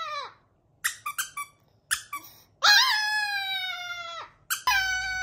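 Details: Chihuahua giving short squeaky yips, then a long steady howl held for about two seconds with a slight waver, ending with another sustained howl starting.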